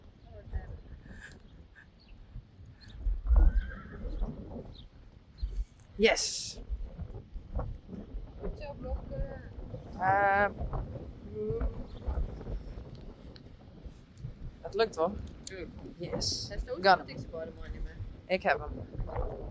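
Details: Friesian horse giving a single wavering, tremulous whinny partway through, set among human talk, hoof clip-clop and scattered short knocks.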